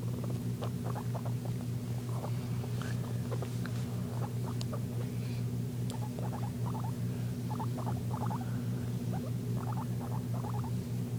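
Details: Jenger the guinea pig gives wheeking sounds, heard as quick, quiet squeaky chirps in irregular bursts, some in close pairs and triplets, over a constant low humming drone.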